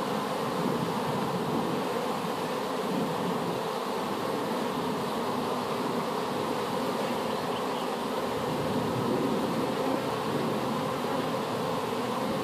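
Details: Honey bee swarm just placed in a hive after being collected from an apple tree, making a dense, continuous, even droning hum with no breaks throughout.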